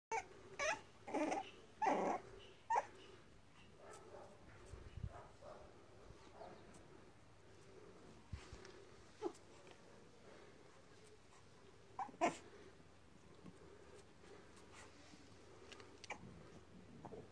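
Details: A blue fawn French bulldog gives short whiny yelps and whimpers in irregular bursts indoors.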